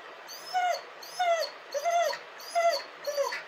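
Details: Dog crying: five high, arched whimpers, each rising and falling, repeated about every two-thirds of a second, with quiet pauses between them.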